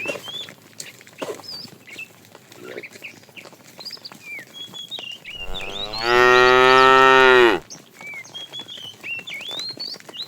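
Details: A fat cow calling the female while a tame herd is herded in the afternoon: one loud, level moo of about 1.5 seconds, with chirping birds and faint clucking in the background.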